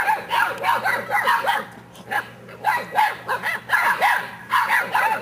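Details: Seven-week-old English Mastiff puppies yap in quick, high, overlapping barks and yips.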